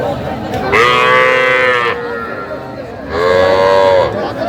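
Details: Small bull and heifer calves for sale at a cattle market in Dhaka, Bangladesh, give two loud, high, harmonic moos, each about a second long, separated by a short pause, with faint crowd voices and music underneath.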